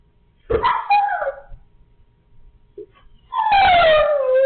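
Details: Siberian Husky dog vocalizing in a talking manner: a short whiny yelp with a falling tone, a pause, then a longer drawn-out howl that slides downward, both rich in harmonics.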